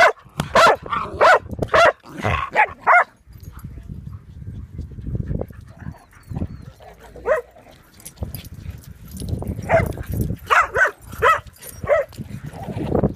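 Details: Excited barking from Bear, a dog playing at a dog park: rapid volleys of short, punchy barks, a dense opening run, a lull filled with rustling and low background noise, then another quick series.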